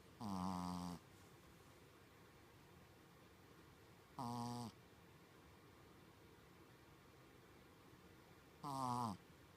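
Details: Sleeping Shih Tzu, a staff dog, snoring in a human-like way: three loud, rasping, buzzy snores each lasting under a second, spaced roughly four seconds apart, over a quiet indoor hiss.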